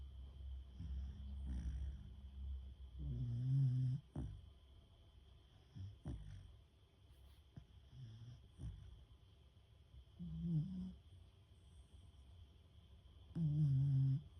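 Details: Beagle Fuku-ko, a lively young female, sound asleep after lots of walking and play, snoring loudly indoors: deep, low rumbling snores in irregular bursts, several rough drawn-out breaths about every three to four seconds with quieter breathing between.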